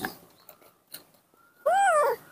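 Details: Captive female baby monkey, kept at home and later released to the wild, getting angry when hugged: a single loud, whining tonal cry that dips then rises, about half a second long, after quiet room sounds.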